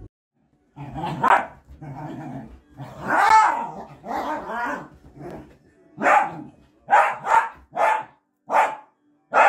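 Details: Playful miniature dachshund indoors: drawn-out growly yowls rising and falling, then a string of six sharp barks in quick succession over the last few seconds, with a voice faintly heard.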